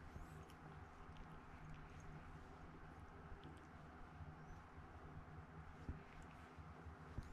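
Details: Chikuwa, a pet domestic cat rescued as a kitten and partly blind in one eye, purrs continuously indoors: a deep, even rumble with soft pulsing and occasional small knocks.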